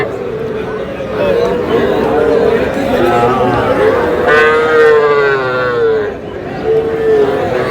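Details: Young bulls and heifer calves at Aftabganj cattle market, Dinajpur, Bangladesh, on 24 August: several drawn-out, steady moos, the longest near one and a half seconds, rising above a constant murmur of crowd chatter and voices.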